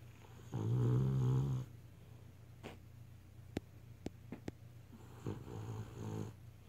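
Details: Beagle asleep indoors, giving a deep, rasping snore near the start, then a few soft clicks and rustles, and a fainter, shorter snore toward the end.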